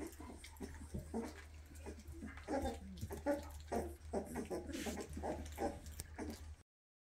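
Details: Weimaraner puppies, two and a half weeks old with newly opened eyes, whimper while running after their mother asking to nurse; a string of short, high whining cries comes in uneven bursts over a steady low hum.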